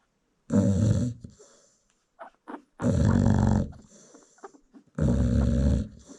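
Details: American Bully mother in South Africa snoring while nursing her newborn puppies indoors; three loud, rough, low rasping snores about two seconds apart, with faint soft snuffles between.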